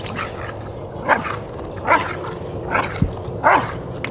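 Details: Rottweiler Jefe von Tonatiuh during protection work at a DVG America IGP3 qualifying trial, 2021: four barks spaced irregularly against a loud low rumble of outdoor noise, with a handler's commands nearby.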